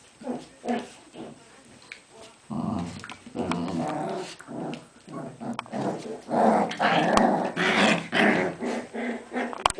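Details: Aisha, a Cairn Terrier mother with her pups, sounding off indoors: short growly yips at first, then a denser, louder stretch of overlapping growls and squeals, about two bursts per second.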